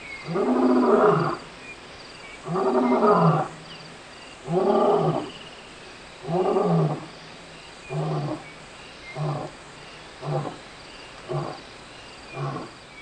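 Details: Lion in the African bushveld giving a full roaring bout: four long, deep, moaning roars about two seconds apart, then a run of shorter, fading grunts spaced roughly a second apart.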